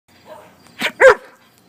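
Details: German Shepherd dog indoors, being handed a new pig-shaped dog treat. Two short, sharp barks about a quarter-second apart, with a quieter murmur just before them.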